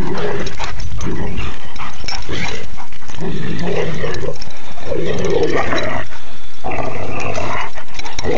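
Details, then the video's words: Pet dogs at a home in Door County, Wisconsin, playing keep-away with a ball. One dog teases the other and adds dramatic vocal effects. Rough, rumbling growls and grumbles come in bursts across the clip over loud, dense background noise. ""Keep Away" Game with Genuine Canine Sound Effects"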